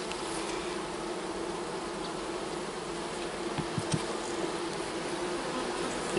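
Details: Honey bees humming steadily at an opened hive while a beekeeper sets up a fall split, a continuous low droning buzz throughout with a few soft knocks from frames being handled.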